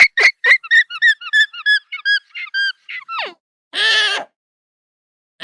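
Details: Pet alpaca vocalizing where it lives in Scotland: a quick run of about a dozen short, high, squeaky notes, then a single falling squeal and one longer, harsher, buzzy cry.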